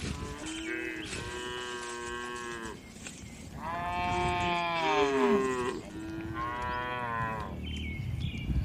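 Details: Tame farm cows being herded in the afternoon and returning to the barn, mooing: several overlapping long harmonic moos from more than one animal, some wavering and falling in pitch, nearly continuous throughout.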